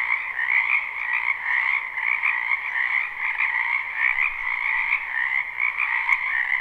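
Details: Many frogs calling in a spring wetland, recorded live at night: a dense, unbroken chorus of rapid trilling croaks in two steady pitch layers, with a faint click near the end.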